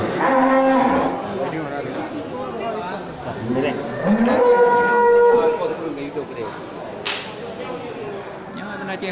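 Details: Cattle at a busy weekend market in Geurugok, Bireuen, Aceh, 13 July 2021, just before Qurban; a steady low moo opens, then after a pause a louder, strongly toned moo swells and holds about a second, with market chatter underneath.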